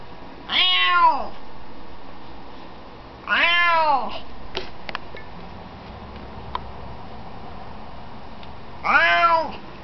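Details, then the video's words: Wanting to be let out, a newly adopted house cat meows three times, each call a loud falling wail roughly three seconds apart, with soft taps and clicks in the quiet indoor gaps. "Morton Wants Out"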